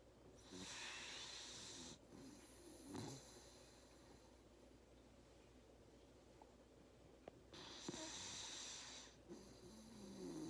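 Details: Labrador Retriever puppy snoring while napping after a hard day of play, indoors; long breathy rasping inhalations with hissy noise, pauses between breaths, and a few soft low snorts.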